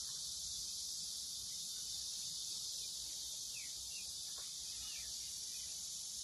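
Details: Cicadas drone continuously in a high hiss over a farm garden where the corn has already formed ears.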